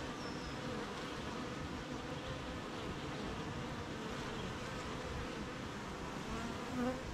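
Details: Rainy-morning beehive of honey bees at work making honey amid nearby gardens and fields; constant thick buzzing mass, occasional single bees whining by close, a slight swell near the end.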